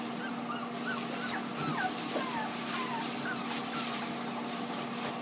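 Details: Cavalier King Charles Spaniel puppies offered for sale; thin, high, sliding whimpers and yips repeated over a steady low hum, several short rising and falling squeaks.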